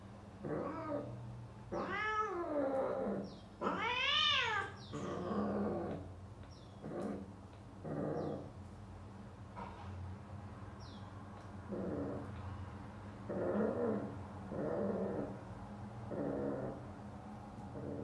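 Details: A British Shorthair cat gives long, wavering yowls, then shorter low moaning calls, while mating with a female.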